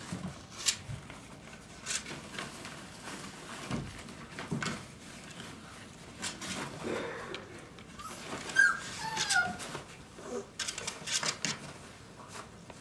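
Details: Five-week-old Dogo Argentino puppies indoors give a few brief, high, thin whimpers with short rising and falling whines near the middle. Quiet room noise and soft clatter surround them.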